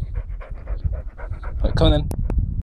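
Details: Captain Jack, an English Springer Spaniel, running around the garden collecting leaves: quick, rhythmic breathy panting, roughly eight puffs a second, briefly overlapped near the end by a voice calling "come on then" and a couple of sharp clicks.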